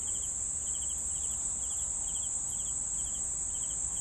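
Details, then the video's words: Cricket chirps in quick pulsed bursts, spaced about two per second, set against a constant shrill high-pitched insect trill. "CRICKETS SOUNDS"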